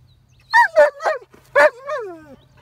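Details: Dog barking at a horse outdoors: four sharp, loud barks in quick succession, then a longer drawn-out bark that falls away at the end, with a low steady hum underneath.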